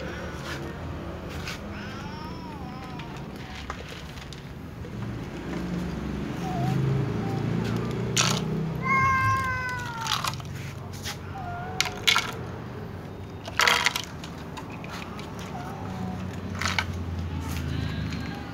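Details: Little cats and a tom cat meowing loudly before eating: repeated short and drawn-out meows, one strongly harmonic wail mid-way, amid rustling, clattering noises and low background rumble indoors.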